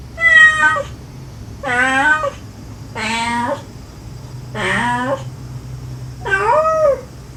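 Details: Stray mother cat and her kittens, recorded during a rescue of the mother and five kittens, the mother gently calling her young and the kittens answering sweetly; five separate drawn-out harmonic meows, about one every one and a half seconds, over a low steady hum.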